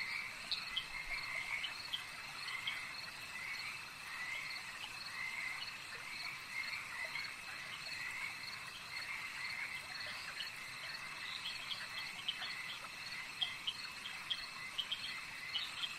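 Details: Chorusing lake frogs produce a continuous stream of rattling, mid-pitched croaks, closely packed and overlapping, set against an even high-pitched buzzing background.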